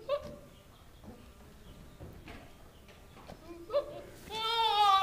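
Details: Two newly arrived registered Nigerian Dwarf goat bucks in a barn, calling because females in heat are nearby; brief scattered noises, then a loud, long wavering bleat with a strong quavering tremble to close.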